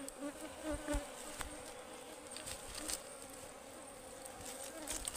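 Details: Wild honeybees from a forest Ligwan beehive being harvested give a constant buzzing hum, while repeated clicks and taps of harvesting work cut through the drone.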